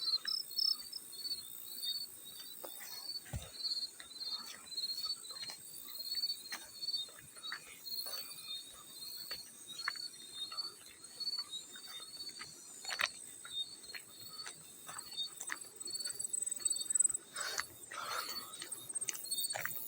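A field cricket chirps steadily in short, high pulsed bursts, with occasional water splashes around it.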